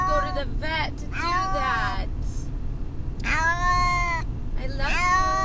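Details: Brutus the Beefcake, a pet cat riding in a car on the way to the vet, distressed and seeming to call "Amber": five harmonic meows, some short, two long and drawn-out, over a steady low engine rumble.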